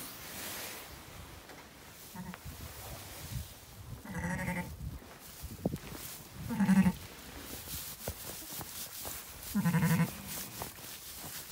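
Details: Zwartbles ewe lambing, County Kilkenny farm, Ireland, later two ram lambs; three harmonic bleats spaced about every two to three seconds, at roughly 4, 7 and 10 seconds, amid handling noises and faint clicks.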